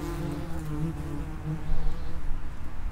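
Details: Common wasps (Vespula vulgaris) at the entrance to an underground nest. A low, steady droning buzz with layered harmonic tones that wavers slightly, growing louder in the final second as insects pass close.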